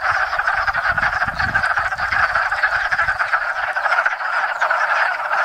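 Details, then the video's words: Spring breeding chorus of wood frogs at a woodland pond in Enosburgh, hundreds of frogs mating; thick, unbroken mass of short duck-like clucks overlapping throughout, some faint low rumble early on. "Wood Frogs (Lithobates sylvaticus) in Spring"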